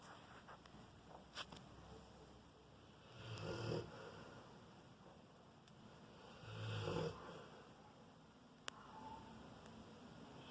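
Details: Four-year-old Rottweiler snoring while asleep: two drawn-out, rasping breaths about three seconds apart, each a low rumble with a breathy hiss, over a quiet indoor background.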